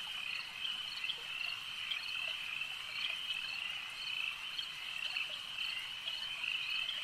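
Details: Lakeside frog chorus, many animals trilling together in a continuous high, buzzy band, with individual sharper notes popping out irregularly across the seven seconds; no other clear sounds.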